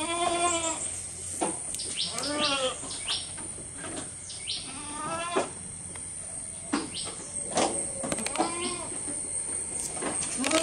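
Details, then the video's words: Close recording of a goat as it eats: repeated quavering bleats about every one to two seconds, mixed with sharp crunching clicks of chewing and a constant thin high-pitched hum. "Goat Eating Sound"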